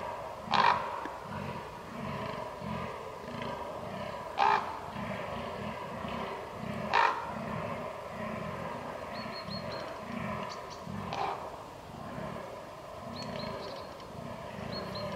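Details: Fallow deer during the rut, 22 October 2022: a steady run of deep, pulsed grunting groans, about two per second, with three sharp loud clicks and faint thin high whistles later on.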